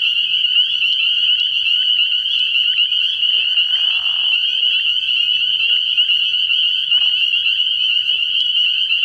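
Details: Spring peepers by the hundred calling at night from a frog pond in early spring, their piercing high peeps merging into one unbroken ringing band, with a brief softer lower rasp near four seconds.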